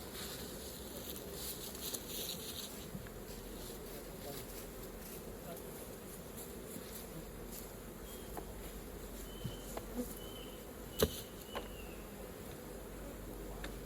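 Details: Honey bees at an opened hive during raw honey collection, a steady low droning hum of many wings running throughout, with scattered knocks and clicks of hive work and a few brief higher squeaks near the end.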